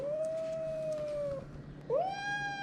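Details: Aggressive white kitten Mika at a veterinary clinic, handled for a blood draw and vaccination, lets out a long, level, moaning yowl, then a second yowl that rises and holds. Low clinic background noise.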